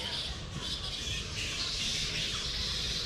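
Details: Hundreds of golden-crowned flying foxes roost in the treetops at Wat Pho Bang Kla temple, about two hours outside Bangkok, Thailand, around 4:30 in the afternoon, filling the air with constant high squeaking chatter as they call to each other, with some occasionally flying about.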